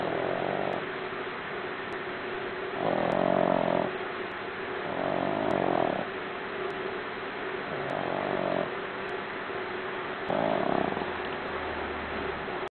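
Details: A four-month-old Boston Terrier puppy snores in loud, rattling breaths, like a freight train, coming about every two to three seconds.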